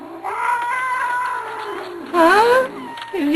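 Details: Jack, a grumpy, talkative Manx cat, complains during belly petting with a sustained yowl, then a sharper rising-falling cry and a short final whine, while a person talks to him.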